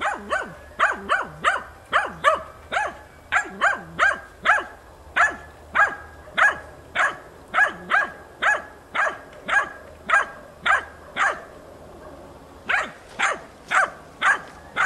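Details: Hunting dog in training, wild boar hunting, persistently baying at young boars on 6 March 2013: loud sharp barks repeated almost twice a second in a steady run, a short pause near the end, then barking resumes.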